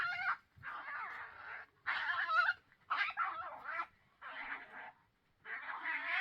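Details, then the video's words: Two European badgers fighting in Vestfossen, Norway, on June 8th, 2023: harsh, screaming squeals in rough bursts about a second long, separated by short pauses, loud and strained throughout. "The sound of two badgers fighting"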